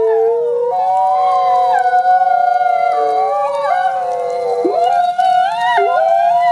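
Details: Two gray wolf siblings, captive ambassador wolves at a conservation center, howl together: overlapping smooth drawn-out tones that slide up and down, their voices weaving and crossing with bends and wavers throughout.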